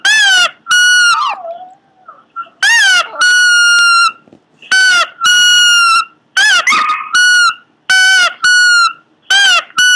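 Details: Cute Pomeranian making weird noises: high, tonal whine-like cries in short bursts, some wavering or sliding, about ten bursts over ten seconds with brief pauses between them; no other clear sounds.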